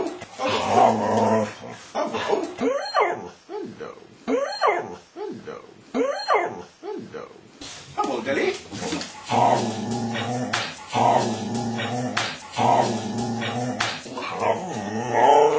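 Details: An 11-month-old female Miniature Schnauzer 'talking' to her owners with her favourite sayings 'herrooo' and 'yom yom yom': rhythmic, rising-falling moaning yowls in quick bursts, then longer drawn-out harmonic whines, with a woman speaking to her between sounds.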